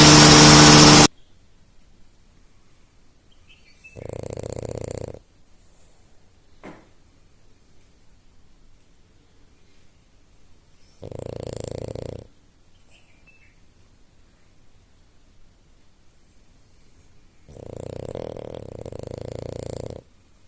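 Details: A French Bulldog, Lady, snores in slow, rasping breaths, each roughly a second long and spaced several seconds apart.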